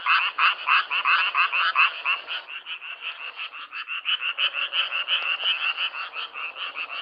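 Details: Self-recorded frog chorus with quick raspy croaks about three per second, a brief dip in loudness midway before the pulsing resumes, overlapping callers slightly out of step.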